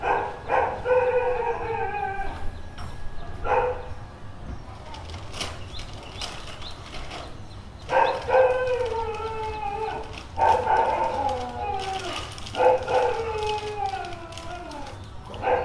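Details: Street dog letting out bursts of barks that stretch into short, falling, howl-like yelps, repeated in irregular clusters roughly every two to three seconds, with low rumbling noise between calls.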